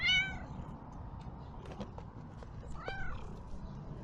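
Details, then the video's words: Hungry ginger street cat in Türkiye during Kurban Bayram, running up to a familiar person and meowing for help; a short high mew at the start and another arched mew near three seconds, with faint clicks and rustling between. "A Ginger Cat Ran Toward Me Meowing for Help"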